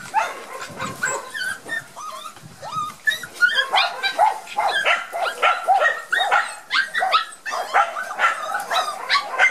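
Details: Several shy Border Collie puppies of Gem & Sky, out in the garden for the first time after their first vaccination, make a dense, overlapping stream of high-pitched yelps and whimpers that hardly pauses.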